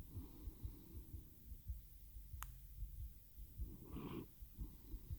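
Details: Teo, a domestic cat, purring into a microphone as he falls asleep, recorded with a RODE NTG-3 and Zoom H6; soft low rumbling pulses roughly twice a second with quiet breathing and a single sharp click midway.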